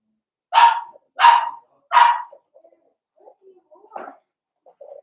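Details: Blenheim Cavalier King Charles Spaniel puppies indoors in a home puppy pen: three sharp high barks about two thirds of a second apart, then faint small yips and whines trailing off.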